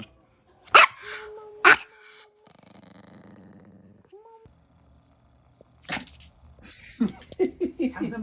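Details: A pet Maltese, said to bite, gives two sharp, abrupt barks about a second apart. Soft electronic tones follow, then Korean speech with clicking sounds.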